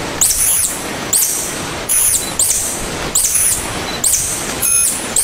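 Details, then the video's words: Tarsier, known locally as tangkasi, giving a series of very high-pitched squeaky calls, each a short arching whistle-like note with a brief trailing tail, repeated roughly every 0.7 to 1 second over a soft hissy background. "Tarsier Calling Sound"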